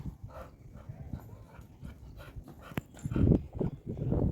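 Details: Pet Labrador Retriever called Laura, a female, making short, low, gruff bursts clustered in the final second and a half after a quieter stretch of soft rustling and handling noises.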